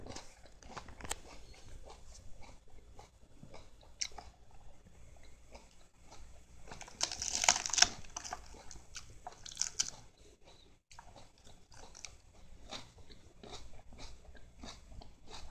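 A Siamese cat chews lettuce with crisp, irregular crunching and wet biting sounds.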